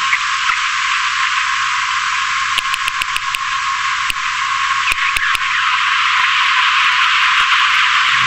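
Sharp sperm whale clicks, used to locate prey, tap out over a steady bed of hiss.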